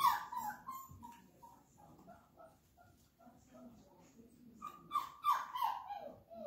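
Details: Flat-Coated Retriever puppy, 34 days old, during first-day clicker training with treats: repeated high whining whimpers, about three per second at first, fading into softer murmurs, then a louder burst of wavering cries near the end, with quiet human voice beneath.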